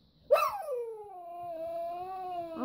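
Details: A female red Siberian Husky "talks" with a long, drawn-out, whining howl, asking loudly for treats as she usually does.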